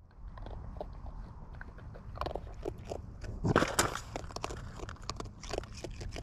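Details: Wild raccoons eating close up: wet, irregular chewing and crunching clicks, with a louder burst of smacking near the middle against a low background rumble.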